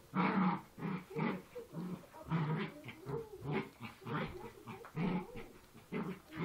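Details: Poochon puppies growl while play fighting, a series of rhythmic, rough, low snarls pulsing roughly every half second to second, separated by brief quiet gaps.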